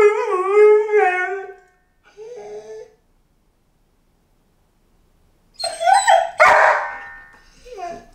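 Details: A five-month-old Golden Retriever puppy, home alone, gives a wavering howl and a shorter one. After a few seconds of silence come a sharp yelp and a sudden loud thump, then a whimper.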